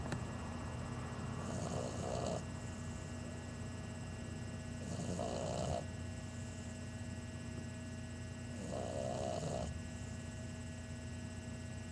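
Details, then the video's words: Chunk, an 11-week-old English Bulldog puppy, snoring loudly like an old man: three long rasping snores, each about a second long, spaced roughly every three and a half seconds over a steady background hum. "Chunk the snoring English Bulldog"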